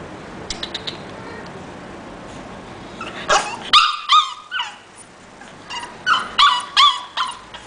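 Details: Coraje, an English bulldog, lets out short, sharp yips early on, then bursts of strained, whiny barks in two clusters. The cries are high and harmonic, dipping in pitch, separated by a brief silent gap.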